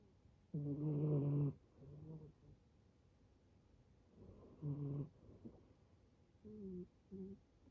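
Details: Rescued male brown tabby-and-white kitten snoring like an old man: two strong buzzy snores about four seconds apart, with fainter short wheezing breaths between and after.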